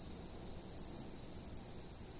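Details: Insect chirping caught by a fixed camera. Brief high trilled bursts, single and in groups of two or three, over a steady shrill background hum.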